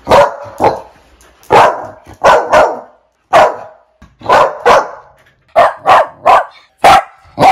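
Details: Dog barking loudly in uneven bursts, about a dozen sharp barks, some in quick pairs and some spaced by short pauses, in an otherwise quiet setting.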